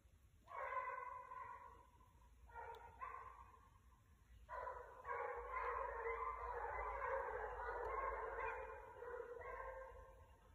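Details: Pack of six basset hounds hunting on 21 December 2022, hot on a rabbit's trail, giving deep drawn-out bays in bursts that overlap into a chorus, with short gaps between bursts.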